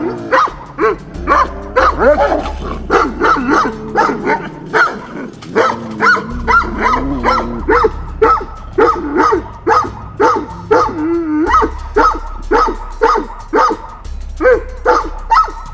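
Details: A livestock guardian dog, the yellow dog, gives rough, repeated barking growls, about two a second, constantly growling and seeking eye contact as a provocation during a rank dispute between dogs.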